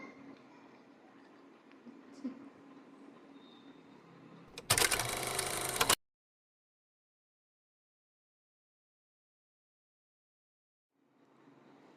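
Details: Low steady background hum with a brief soft knock, then a loud harsh burst of broadband noise for about a second, followed by total silence and a faint return of room noise at the end.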